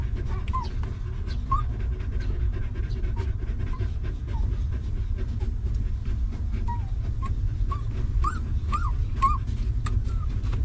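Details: Panting from a stray mother dog with her puppies, living rough until given shelter; quick rhythmic breaths continue throughout, with scattered high, arching squeaks early on and a tight cluster of whimpers near the end.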